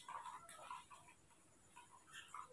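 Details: A newborn baby monkey at night, cared for by hand after being brought home, gives short thin squeaks near the same pitch in quick clusters, quiet and separated by brief pauses in a small indoor space.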